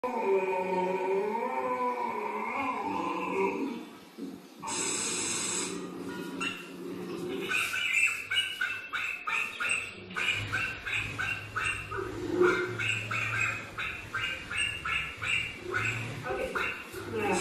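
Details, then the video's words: Dog searching a bog and barking: a wavering whine at first, then a sharp squeal, followed by rapid, high-pitched yelping barks repeated about twice a second with rustling underneath. "searching bog barking"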